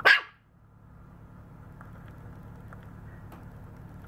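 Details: Maltese puppy, 52 days old, recorded 29 October 2018: a single sharp, high bark at the very start, then quiet low background hum.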